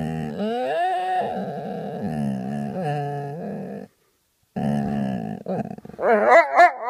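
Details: A Vizsla lying in bed grumbles in long, moaning, whiny tones that rise and fall, with a brief pause.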